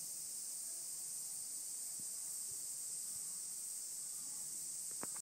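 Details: Mixed cicadas, higurashi included, calling in a mountain setting: a constant shrill, sizzling wall of sound at high pitch throughout, with scattered soft low clicks and a short sharp tap near the end.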